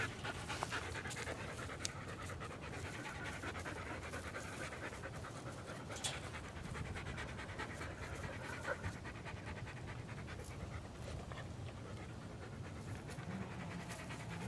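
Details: Panting from Australian Cattle Dogs, three females out in the backyard enjoying great weather: steady rapid huffing breaths, dense and continuous throughout, with occasional faint clicks.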